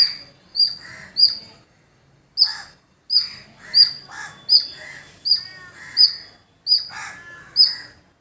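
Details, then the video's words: Squirrel sounding off in village surroundings: high, sharp chirps in uneven bursts after a brief pause, mixed with lower, buzzy bird chatter. "Beautiful Squirrel Making Sound"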